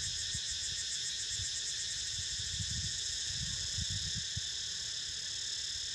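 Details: Steady cicada chorus, a bright shimmering buzz with a rapid pulsing flutter in its highest layer, sounding over Niko sleeping, with soft low bumps and handling noise beneath.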